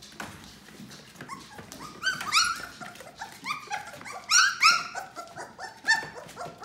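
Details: Yellow Labrador Retriever puppies, 18 days old, giving short rising whimpers and squeaky yelps in overlapping bursts, several pups calling at once, louder cries clustered around the middle and end, with faint shuffling underneath.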